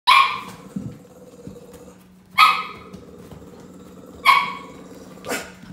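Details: Hyper Brussels Griffon puppy giving sharp yappy barks, four bursts spaced about two seconds apart, with a steady low hum underneath.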